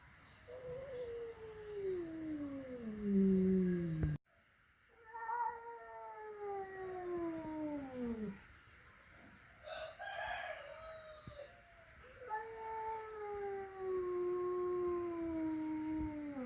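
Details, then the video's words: Male cat indoors at home, a flat-nosed cat meeting a peak-nosed cat for the first time: long drawn-out caterwauling meows that slide downward in pitch, several in a row with short pauses, faint household noise. "Reaksi pertama kali kucing flatnose bertemu dengan kucing peaknose"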